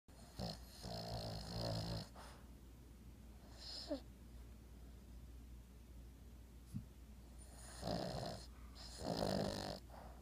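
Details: An 11-year-old Boston Terrier, snoring and twitching in sleep, snores in rough, throaty bursts with quieter breathing between them.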